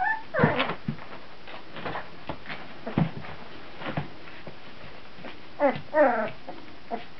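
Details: Several 14-day-old puppies in 2009 give scattered high squeals and short whimpers, loudest at the start and again near the end as a pair of wavering cries, with quiet gaps between.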